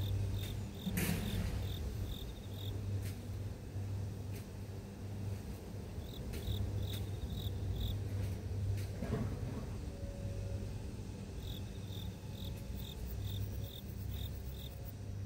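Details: Grass insect calling in the city: bursts of short, high, evenly spaced chirps in runs of several notes with pauses between runs, over a steady low traffic hum with occasional passing-vehicle noise.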